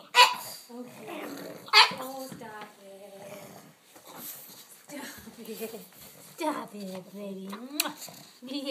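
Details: Pug; howl; excited greeting of owners returning home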